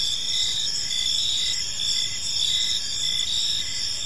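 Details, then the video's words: Crickets in a park as evening falls, a steady high-pitched buzzing chorus with faint rhythmic chirps repeating in quick succession. "Park Serenade: Cricket Sounds in a Peaceful Park | Evening Ambience"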